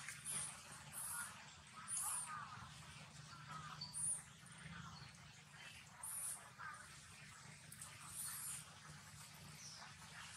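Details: Baby monkeys of the Amari group playing at Bayon temple in the Angkor Wat temple zone, Cambodia; high, thin squeaky bursts come every one to two seconds over a steady low background hum.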